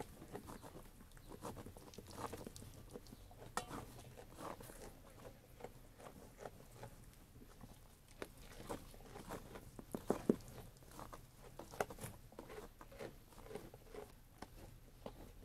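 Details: A sheep eating food, with a long stretch of rapid, irregular crunching and pattering bites, a few sharp louder snaps midway, and faint low background hum.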